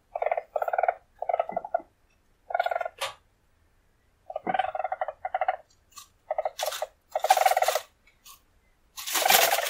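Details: Short chattering bursts of buzzy trilling from a wild weasel, uneven spacing with silences between, ending in harsher, broader hissing bursts.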